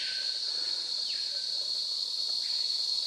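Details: On the Montagne des Singes trail in French Guiana, cicadas keep up a steady, high, piercing drone, with a few faint whistled bird notes behind; the speaker mentions a well-known bird he calls the "piauler".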